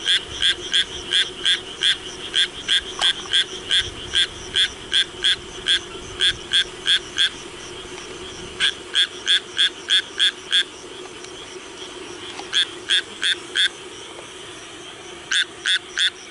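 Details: Japanese tree frog calling in the rain: bursts of quick, grating croaks at roughly three per second, broken by brief pauses near the middle and end before the series resumes.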